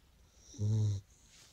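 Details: A sleeping Beagle gives a single low, harmonic snore lasting under half a second, rising out of quiet room hush and fading back to near silence.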